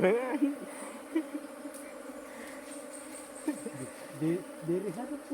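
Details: Continuous humming drone of honey bees at a constant low pitch, overlaid by short bursts of a man speaking in a local language, plus occasional faint knocks.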